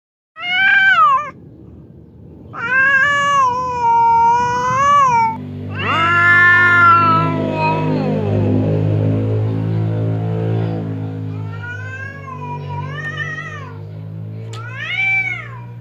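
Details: Fierce house cat Temon facing quiet cat Lelo across a partition that keeps them from fighting; harmonic yowls rise and waver in drawn-out bursts, with a low steady droning hum underneath during the second half.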